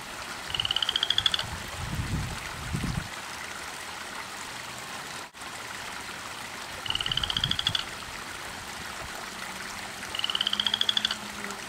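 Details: Frog in a garden pond at 10:30 at night, a loud visitor that croaks nonstop from evening until dawn: three high pulsed trills, each about a second long and slightly rising, repeated every five seconds over steady flowing water.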